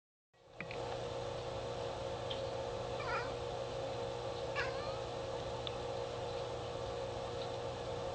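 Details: Domestic cat chattering while watching birds outside, with two brief high chirpy bursts around mid-clip over a steady low hum of indoor background noise.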